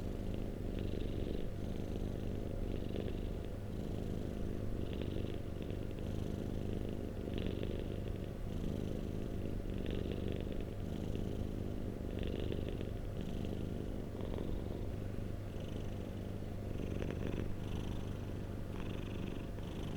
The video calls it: White noise - Cat purring - 1 hours - No ads - Black Screen